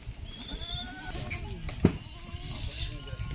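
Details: Goats at the Monday goat market in Sukhna Ablu, where many deals are struck and bids called out; a few wavering bleats rise and fall beneath loud haggling voices and crowd murmur.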